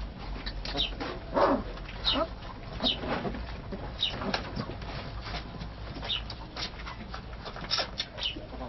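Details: Sloughi puppy in Algeria giving high, thin whimpering whines that slide downward in pitch, coming in short irregular bursts over faint background noise, with a brief squeal near the start.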